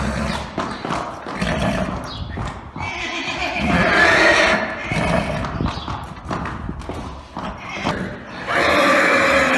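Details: Arabian horse neighing amid steady hoof clip-clop and rough noise, with a harsh neigh rising in the middle and another starting near the end.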